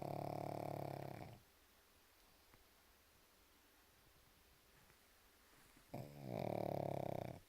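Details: A sleeping pug snores indoors: two loud, rasping, buzzy inhalations, each lasting over a second, at the start and end, with a quiet pause of about four and a half seconds between them.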